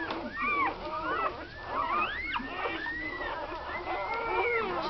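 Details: A litter of nine one-day-old American Staffordshire Terrier puppies, seven female and two male, born to Tina on Christmas Eve 2009, squeal and whine in many overlapping, upward-sweeping, high-pitched cries.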